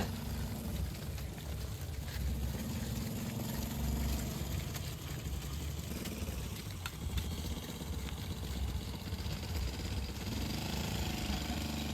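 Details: A vehicle engine idles and rumbles loudly and steadily throughout, with broad noise across all pitches.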